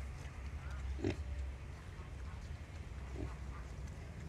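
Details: Wild boar sow nursing her young piglets; two short, low grunts, one near the first second and another just after three seconds, over a steady low rumbling background.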